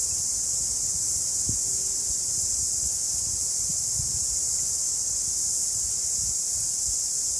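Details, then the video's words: New Zealand cicadas in summer fill the air with a steady, high, shrill buzzing that never lets up. "뉴질랜드 여름 매미소리 New Zealand Cicada sound"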